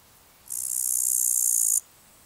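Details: A male upland green bush-cricket (Tettigonia cantans) gives a high, steady, buzzing calling song lasting over a second, recorded 14 August 2019 at Palu, Trentino, Italy.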